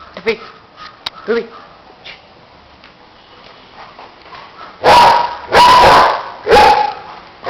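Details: German Shepherd barks from Ruby and Tuffy, Kollegal: soft scattered sounds at first, then three loud, rough barks in quick succession near the end.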